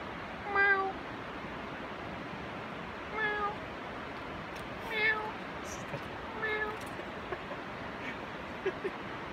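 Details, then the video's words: Domestic cat meowing at a squirrel: four short harmonic meows spaced about two seconds apart, each a brief steady tone with a slight drop, over a soft hiss of background noise. "meowing at squirrel"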